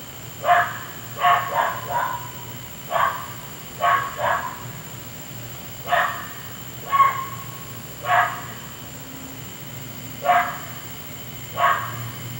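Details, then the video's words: A neighbour's dog barking through the night, disturbing sleep; a fairly regular series of short, punchy barks, some doubled, about one every second or two, over a dull continuous hum. "Noisy Dog"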